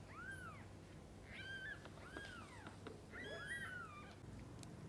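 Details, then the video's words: Kittens and their mother cat during feeding and bathing, with a string of thin arched mews, each rising then falling, coming in quick bursts with brief gaps, set against a low constant hum. "Mother cat feeding & bathing kittens: sounds of pure love."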